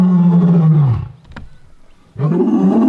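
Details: Lions at Londolozi, an older Birmingham male and a female, well fed with blood on their faces, give soft contact calls after hearing other lions in the distance, then roar together: deep, powerful roars, a long fading moan, another rising roar.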